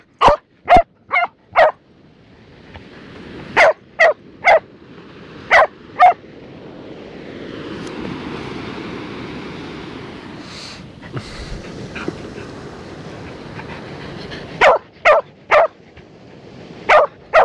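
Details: Barking dog at the beach in Busselton during a digging game: clusters of short loud barks at the start, middle and end, separated by a long stretch of steady surf-like hiss.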